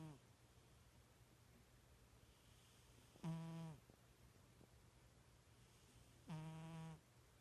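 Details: Sleeping pet cat snoring like a little pig: two harmonic, buzzy snores about three seconds apart, each under a second long, over a steady low hum.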